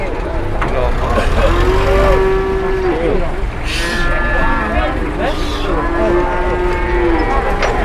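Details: Cattle at an Indonesian market, a large cow lying down and unwilling to stand amid a commotion. Two long, level, droning moos, each lasting about two seconds, over constant crowd noise and vehicle rumble.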